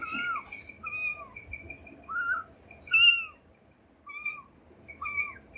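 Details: Loud, insistent crying from a kitten looking for its mother: a steady string of shrill mews, each sliding downward at the end, repeating about once a second with a short pause midway through.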